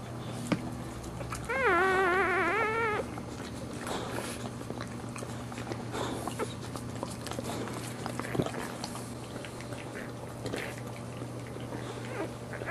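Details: Boxer mother during live birth of four puppies, cleaning the second newborn and removing the placenta before its first suckling; one long quavering whine around two seconds in, then only faint rustles, clicks and a low steady hum.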